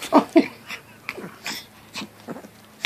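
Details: Prince and Duke, a Jack Russell Terrier and a Teacup Chihuahua, play together. Two quick, sharp yaps open the moment, then soft snuffling, breathy puffs and faint scuffles follow while a person talks nearby.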